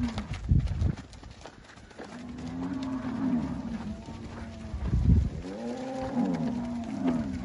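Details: Angus cattle offered for sale at a farm in Palmeira dos Índios, Alagoas, Brazil, low sustained moos rising and falling, several animals calling in turn, with thumps and handling noise.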